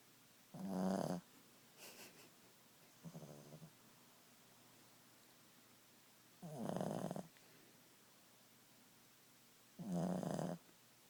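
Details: At nap time, Boston Terrier Ziggie lets out loud raspy snores separated by softer snuffles and a brief snort-like rattle, the breaths coming every few seconds.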